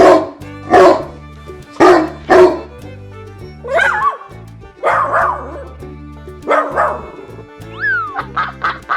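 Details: Dog barking in loud bursts with some higher whining notes between them, set against continuous background music.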